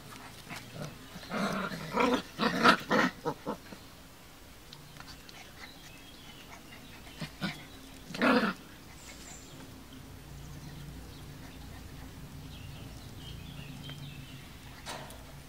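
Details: Kuvasz puppies, 39 days old, recorded on 22 July 2014: a cluster of short yapping barks early on and another bark near eight seconds, over steady low background hum.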